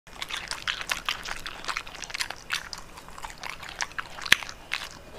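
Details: Pet dog eating bitter melon, close-miked indoors for an ASMR mukbang: a rapid run of crisp, crunchy bites and wet chewing, nearly continuous over five seconds, with one sharp louder snap near the end.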